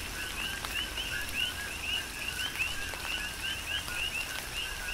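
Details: Coqui frogs calling in a tropical rain shower on the Big Island of Hawaii: a steady overlapping chorus of short rising whistled notes, several each second, over a lower steady tone, with the patter of raindrops throughout.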